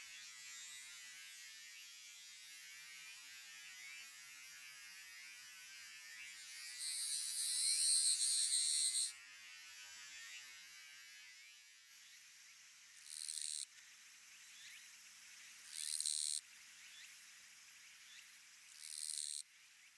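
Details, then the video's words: Western Japanese katydid with one longer grating buzz of about two and a half seconds. Three short buzzy bursts follow at intervals of roughly three seconds, over a steady hissing background. "チョン ギース ニシキリギリスの鳴き声"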